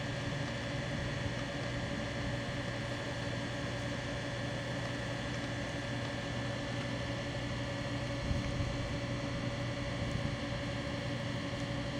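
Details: A steady, low mechanical hum, like a boat or vehicle engine, runs throughout with a constant tone and broadband noise, and no animal call is heard.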